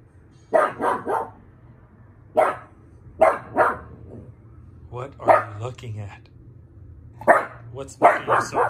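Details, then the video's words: Pug giving bursts of rapid barks, two or three at a time with pauses between, some short whiny yips mixed in, and a low steady hum underneath. "Mishka the Pug barking"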